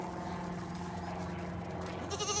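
Goats bleat in a drawn-out, wavering, nasal way, calling excitedly as hay is brought at feeding time.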